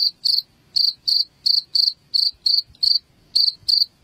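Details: High, ringing cricket chirps, used as a rat repellent at home, spaced unevenly with short pauses between groups of two or three pulses.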